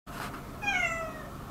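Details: Domestic cat indoors in a small room, one of several house cats (Turi, Madhu, Miko) living in tension over territory; a single drawn-out meow, falling slightly in pitch, follows a brief soft sound, with quiet room noise.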